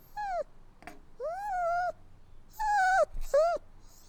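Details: Puppies crying: four drawn-out, tonal whines with rich harmonics, each rising quickly then holding or sagging slightly, lasting about half a second, separated by short gaps and a faint click against a quiet background.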